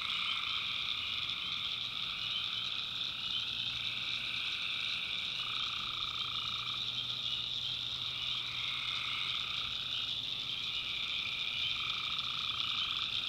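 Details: Tree frogs at night in North Carolina's backwoods, a thick unbroken chorus of shrill pulsing calls, with lower voices joining and dropping out in overlapping stretches.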